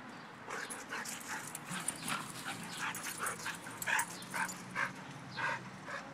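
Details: Dogs play-wrestling, giving short, bright whimpering yips in quick bursts roughly every half second, with scuffling and soft rustling between them.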